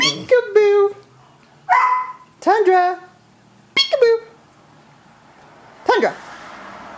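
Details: Elderly male Siberian Husky, almost 14, vocalising during a peek-a-boo game indoors: a few separate whiny, downward-sliding yelps and short talking calls spaced one to two seconds apart, with quiet pauses between.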